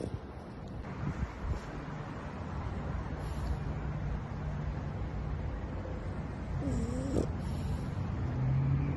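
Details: A sleeping bulldog snores in low, rough, rumbling breaths that run almost without a break. A brief whining tone rises and falls in the middle of the clip, and a faint low hum comes near the end.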